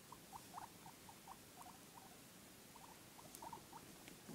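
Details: Guinea pig giving rapid little squeaky chirps at a steady mid pitch, spaced irregularly through the clip, soft and close, with faint background hiss and an occasional tap.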